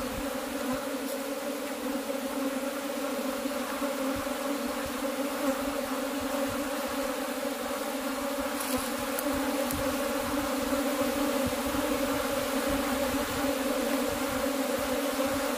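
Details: Kept honey bees droning without pause, an even, thick buzzing hum holding level throughout, with a few faint ticks over the top.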